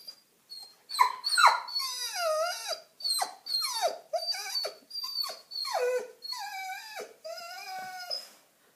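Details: German Shepherd aged one year seven months, eager to go outside to play, gives a run of about seven drawn-out, wavering howl-whines. Each rises then falls and lasts under a second, with rich harmonics and short gaps between them.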